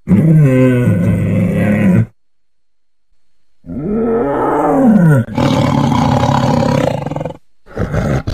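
A tiger gives deep, rumbling roars that swell and fade, with short pauses between bursts.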